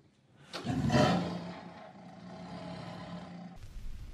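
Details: Single tiger roar: a sudden rough blast that trails off into a steady, deep, humming growl for about two seconds.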